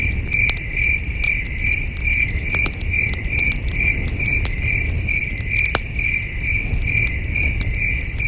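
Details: Distant crickets chirp at night at a starry camping site by a campfire, a steady high pulsing band with soft crackling and low rumbling underneath.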